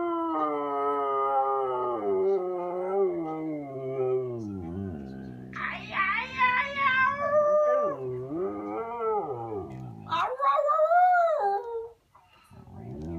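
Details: Siberian Husky Khaleesi talks to her owner, wanting a walk: long wavering howls sliding up and down in pitch, broken into varied yodeling phrases, ending in a brief high yelp-like rise.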